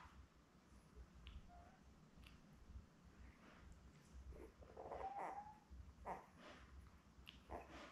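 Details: Newborn Labrador Retriever puppies, born May 24, 2021, with their mother Belle on an indoor puppy cam: soft tonal whimpers and brief squeaks around mid-clip, over a low steady rumble and scattered rustling.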